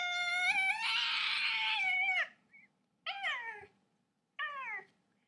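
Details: A domestic cat gives a long, drawn-out, loud meow, then two shorter falling meows with pauses between, over a low steady hum in a quiet room.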